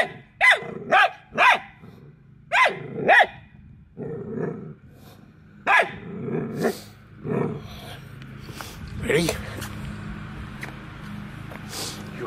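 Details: Hounds after an escaping squirrel bark sharply in pairs during the first seconds, then lower, rougher calls and human speech follow as the barking fades into background noise.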